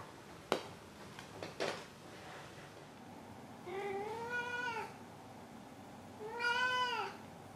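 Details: Maru, a pet cat, meows indoors after catching a toy, as he always does before rolling onto his back, proud of being praised. A few sharp knocks and clicks first, then two drawn-out arched meows with rich harmonics, each about a second long.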